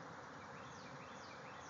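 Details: Thousands of bees swarming out of a hive, flying all over a backyard: a dense, steady, even hum of countless wingbeats with no breaks.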